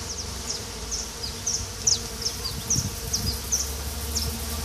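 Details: Mandaçaia stingless bees during a beekeeper's colony inspection in 2016, soft continuous buzzing under a row of short high chirps repeating roughly every half second.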